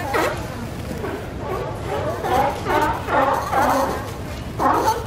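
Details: Seals from the city colony at Pier 39, San Francisco, giving a run of hoarse, honking barks, roughly one every half second to second, rising and falling, with faint crowd noise behind.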